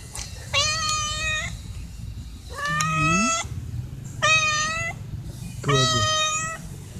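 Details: Stray cats meowing for dry food from their regular feeder, four drawn-out harmonic meows about a second apart, plus a short low voice between calls and a steady low background rumble.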